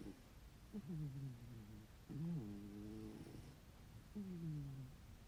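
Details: Ginger tabby house cat snoring heavily, three low droning snores with a slightly falling pitch at roughly two-second intervals, each a steady buzzy rumble over faint room hiss.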